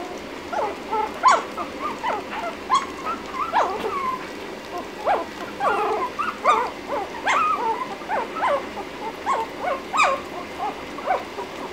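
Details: Lhasa Apso puppy about ten minutes after its first feeding, giving rapid high squeaky whimpers and yips in short bursts, several per second, keeping up throughout in a quiet room.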